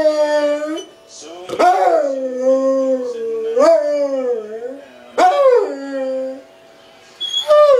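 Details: A bomb-detection dog "sings" along to Toby Keith music, howling in long, wavering tones that rise at each start and slide slowly down, with music and applause around it.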